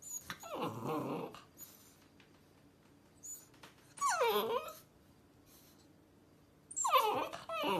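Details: Rottweiler puppy on its first day home, placed on a kitchen counter and wanting to get down; three high, sliding whines and yelps spaced a few seconds apart, with quiet rustling between them.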